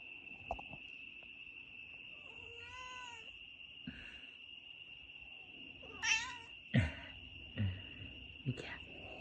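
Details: Cat meowing and yawning: a single drawn-out, wavering meow near the middle, then several soft knocks and short bursts, all over a constant high-pitched electronic tone.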